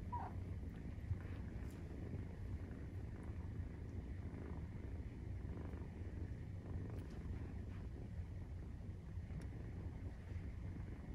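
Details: Purr of a Maine Coon during nursing, 43 days after birth: continuous deep, even rumbling with a soft pulsing texture, plus a brief faint squeak early on and light scattered rustling.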